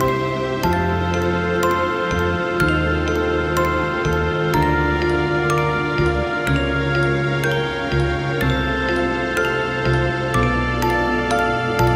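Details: Gentle chiming background music with bell-like notes struck every couple of seconds over a soft sustained bass, with no animal voice.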